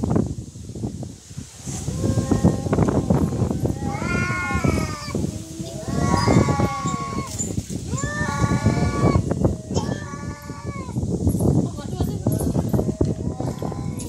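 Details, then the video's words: Real cat fight with fighting cats trading loud, repeated wailing yowls, each arching up and down in pitch, several overlapping bouts every couple of seconds over wind and outdoor rumble. "Real cat fight |Fighting cats|"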